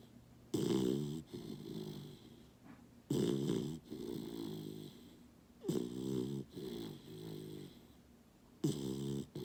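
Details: A Basset puppy sleeps through a morning snuggle, snoring steadily: four loud, buzzy, vibrating snores roughly every two and a half seconds, each followed by a softer, wheezy exhale.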